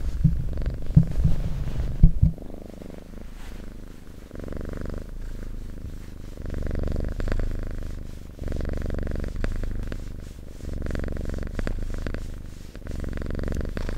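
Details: Cat purring in a close, ASMR-style recording: a low, rumbling purr swells and fades in long, breath-paced phases, with a few soft handling knocks early on.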